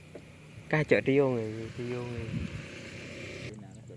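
A cow gives a low, harmonically rich moo that sags slightly in pitch, then a shorter second low call.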